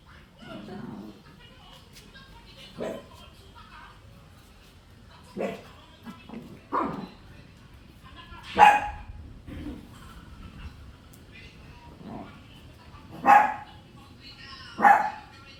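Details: Shih Tzu puppies yipping and barking in short bursts, about eight in sixteen seconds, some loud yelps with a thin tonal squeal, softer grunting barks between, steady low background noise.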